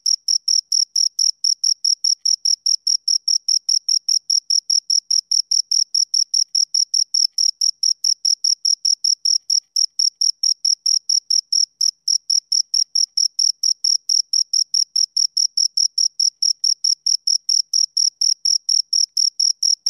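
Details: Continuous high, metallic chirping from two crickets, pulses following each other at a brisk even rate of over two per second for the full length, a tiny hitch near the middle, otherwise silent.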